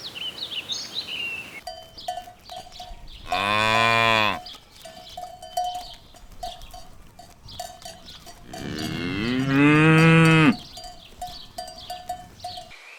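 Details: Cows grazing in a ripe rice field in the countryside on an afternoon; two long, deep, rising moos, each lasting one to two seconds, over a steady ringing cowbell, with bird chirps at the start.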